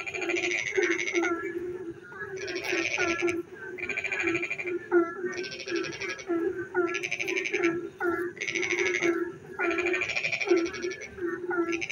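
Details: Frogs sing at night as rain falls: loud buzzy pulsed trills roughly one second long recur every two seconds, separated by quick rising chirps, all above a steady low-pitched croaking hum.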